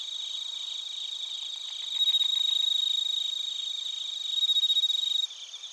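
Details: Chorus of bell crickets and crickets in Narita, Chiba, Japan, taken on a TASCAM Portacapture X8; a nearer cricket adds a loud, fast pulsing trill over the constant high ringing background, which drops sharply in volume near the end.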